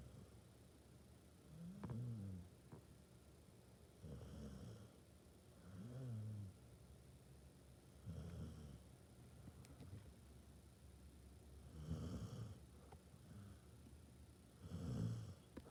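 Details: Sleeping Basset Hound snoring: soft, low rumbling snores come in steady breaths roughly every two seconds, about seven in a row, with a faint background hum and a few small clicks.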